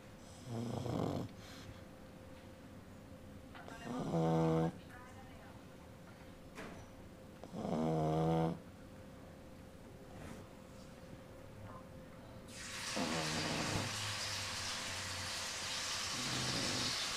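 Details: A mother pug snores as her 16-day-old puppy dreams. Throaty, vibrating snores come every three to four seconds, and a broad hissing noise rises over the last few seconds.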